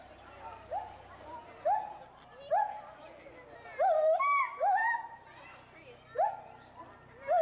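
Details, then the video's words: A captive pair of agile gibbons at Bristol Zoo Gardens, Bristol, UK, loudly agitated by something seen in the bulrushes below. Short hooting notes sweep sharply upward, then level off. They repeat roughly every second, with overlapping higher notes midway. "GARRULOUS GIBBONS ~ Agile Gibbons (Hylobates agilis)"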